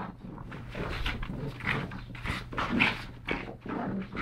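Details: Pugs Yogi and Mister, two brothers rescued from the SPCA in Malta, tussle playfully, giving piggy snorts, wheezy grunts and nasal huffs in short irregular bursts above a low background hum.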